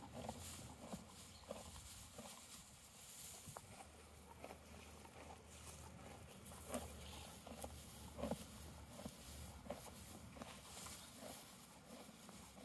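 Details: A horse eating hay in a field chews with steady, crunchy, uneven bites over a low background hum.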